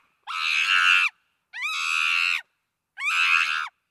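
A chimpanzee gives three shrill, harsh screams, each rising sharply and held nearly a second.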